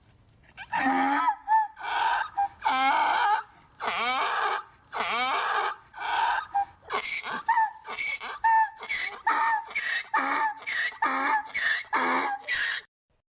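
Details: Adult donkey brays in a long series of harsh, see-sawing bursts that grow quicker toward the end.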